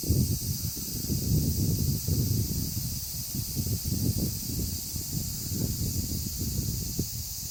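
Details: Massed cicadas in a large chorus keep up a steady shrill hiss, while loud low rumbling and rustling, like wind or handling noise, runs underneath the whole time.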